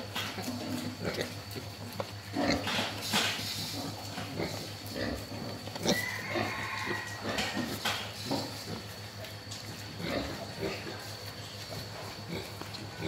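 A wild boar grunts and snorts in short, harsh, noisy bursts that come irregularly. A steady electrical-sounding hum runs underneath, with occasional human voices and a brief higher squeal partway through.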